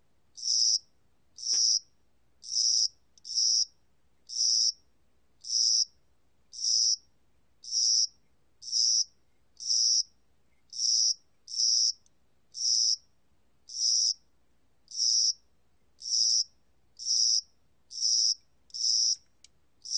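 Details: A spring-summer cricket, recorded in 2020, chirps in short, high, buzzy trills, repeated roughly once a second.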